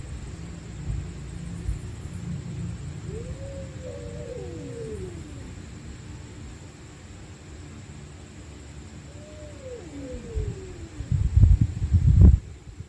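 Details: Angry stray cats fighting at night: two drawn-out, wavering low yowls that rise then slide downward, followed by a burst of loud scuffling thumps and sharp noises near the end.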